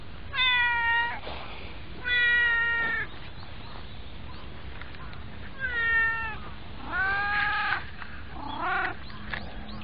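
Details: A white friend cat riding on someone's knees calls repeatedly: five clear meows within ten seconds, some level and steady, others rising then falling, with a low steady hum behind them.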